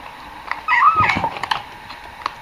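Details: Domestic cat making short, tonal, mewing sounds while eating, the 'nom nom' noises rising and falling between brief clicks of chewing, with a soft voice praising the cat in the background.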